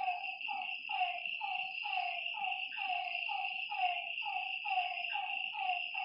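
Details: Lakeside frogs at night give short falling croaks about twice a second, each with a slightly buzzy overtone. A constant high, ringing insect drone runs underneath.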